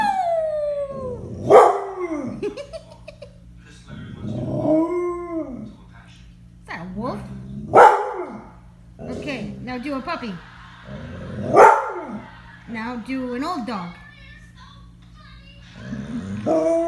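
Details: Pet dog howling and yelping on its owner's prompts to make animal sounds, including an old-dog imitation: several arching, falling howls with bright harmonics at roughly three-second intervals, with a woman's speech and music in between.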